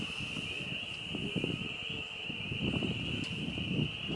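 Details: Frogs mating in a homestead farm pond in spring, April 25 2022, as the weather warms: a steady, unbroken high-pitched chorus drone runs throughout, over low rumbling wind and rustling noise.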